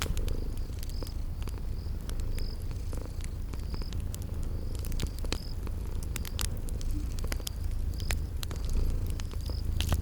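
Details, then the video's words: Continuous deep, rumbling purr from sleeping cats, layered with popping fireplace crackles and brief, regularly repeated high insect chirps in a spring garden setting. "Relax with Cute Sleeping Purring Kitties"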